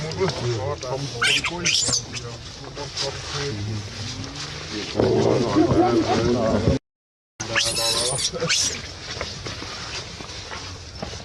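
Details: Baby monkey crying and screaming: two bursts of shrill, strained screams, one early and one after a short gap, with wavering mid-pitched whimpers between them and human voices and background chatter throughout.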